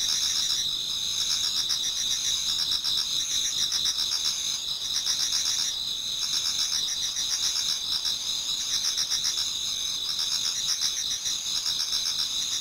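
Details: Many autumn insects singing together in a Japanese garden towards dawn: a dense, continuous high shimmering chorus with steady ringing tones and fast pulsed trills repeating about four times a second.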